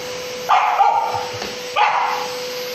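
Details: Samoyed named Asti barking angrily at a vacuum cleaner indoors: two loud, harsh barks about 1.3 seconds apart, each a broad burst with a drawn-out tail, over a faint steady machine hum.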